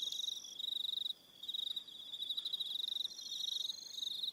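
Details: On Aroha Island in New Zealand, evening crickets sing high rapid pulsed trills in bursts, with a clear pause after the first second before the chirping resumes, joined by a second higher-pitched caller.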